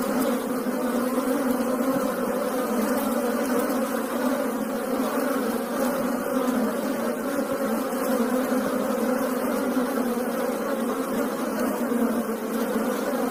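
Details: Asian honey bees (Apis cerana indica) hum in a dense, steady drone, many wings buzzing together without a break.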